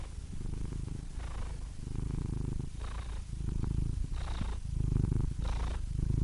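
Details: Purring cat: a rumbling low vibration broken into breath cycles, each inhale adding a brief airy hiss. The rumble grows a little louder toward the end.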